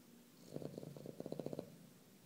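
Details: Nico the dog snoring while asleep, a rough fluttering rattle of rapid pulses lasting just over a second, rising slightly in strength toward the end, in quiet surroundings.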